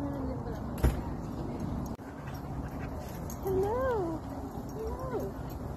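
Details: German Shepherd meeting friends at a playground, happy: two soft, tonal whines rise and fall in arching curves over a steady low rumble of background noise, after a brief sharp knock near the start.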